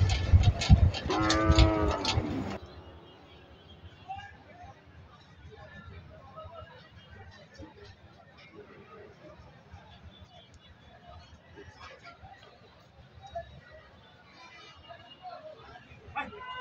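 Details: Cattle at the Dugdugi livestock market in Bangladesh during a busy day of buying and selling. A low, drawn-out harmonic moo lasts about two seconds at the start, then fades into a faint murmur of crowd and market noise.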